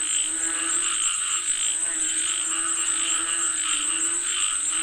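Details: Frogs calling for rain, their croaking throbbing in rapid pulses about once a second over a steady high-pitched hum.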